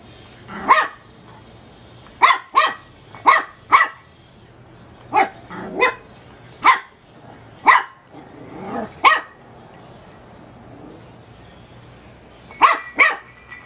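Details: Small teacup Chihuahua puppy yapping at a bulb light, a long run of about fourteen high, sharp barks, some in quick pairs and triplets, with a pause before a final double yap; low electrical hum underneath.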